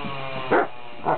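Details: During a Leonberger playdate with puppies, one gruff bark lands mid-clip and a softer yelp follows near the end, over a constant low mechanical drone, as Enzo is comforted by a nearby voice.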